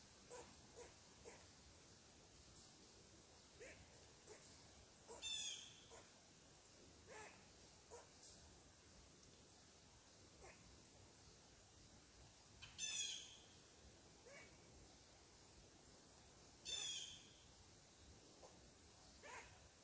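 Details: ['Squirrel scolding a person on its tree, soft scattered chucks broken by three louder, harsher rasping barks about four to eight seconds apart, quiet hiss behind.']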